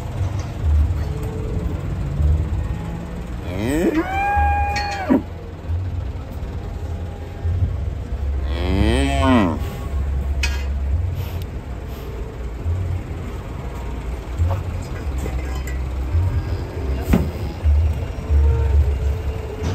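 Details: Two drawn-out cow moos stand out, the first long and level, the second bending downward, over steady low rumbling and scattered background noise.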